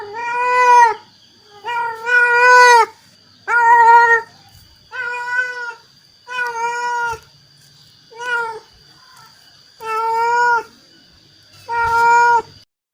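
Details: Meows of a mother cat calling her kittens, about eight calls every second or so, some strained and rising, over a constant faint high tone.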